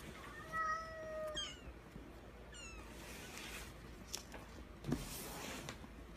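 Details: Munchkin kitten, 32 days old, giving thin high mews with a quavering, tonal sound, mostly in the first second and a half, then one short chirp; soft rustling and handling noises follow.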